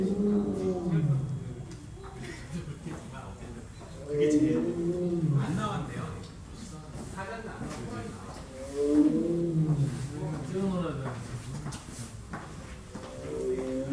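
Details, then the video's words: A Bengal tiger at Seoul Children's Grand Park Zoo roars in a series of deep, drawn-out moaning calls, each falling away in pitch. "벵갈 호랑이 울음소리 (서울어린이대공원 동물원). Tiger (Seoul Children Park Zoo)"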